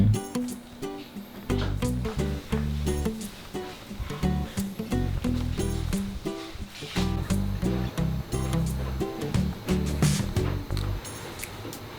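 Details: Plucked, ukulele-like music with a steady bouncy rhythm plays throughout, and no animal voice stands out.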